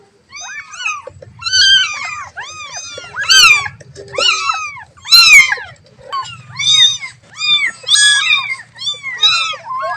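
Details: Kittens crying for their mother, with loud, high, arched mews repeated roughly every second. Several voices overlap into dense clusters, and a faint low hum sits underneath.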